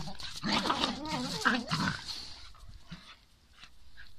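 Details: Beagle Liza and Jagdterrier Till: a brief wavering, whining howl that rises and falls in pitch for about two seconds, then fades into low background noise.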